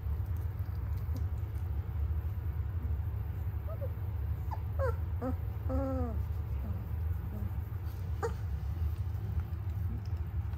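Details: Noble Shepherd puppies, a grey wolf and German Shepherd hybrid, in mixed-species co-rearing; a burst of short high whimpers and drawn-out falling whines in the middle of the clip, then a lone yelp, over a steady low rumble.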